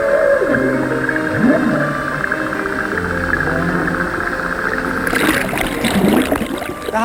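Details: Humpback whales recorded underwater off the Babuyan Islands in the Pacific: moans swoop up and down beneath a layer of background music.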